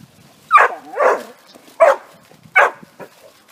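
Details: Dog running with others in a private dog park at a dog resort, letting out four loud barks over a few seconds, the second one longer and wavering, with faint yips in between.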